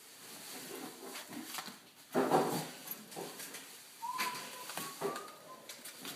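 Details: Litter of Siberian Indian Dog puppies, six weeks old, indoors: a thin, high whine slides upward and wavers for about a second, then a second shorter whine follows, with faint rustling and handling noise.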